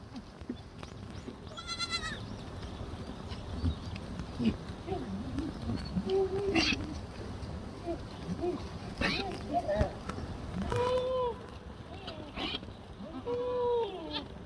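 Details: Black goats on a farm in Gimhae, South Korea; several short wavering bleats scattered through, one early and a few in the second half, under steady people's talk and farm noise.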